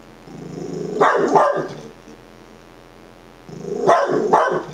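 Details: Dachshund barking at himself: two bursts of rough, doubled barks about three seconds apart, each a quick pair of harsh yaps over a quiet background hum.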